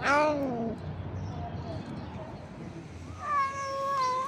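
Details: A cat eating gives a falling meow-like cry at the start, then quieter mumbling chewing noises through the middle, and a higher drawn-out meow near the end.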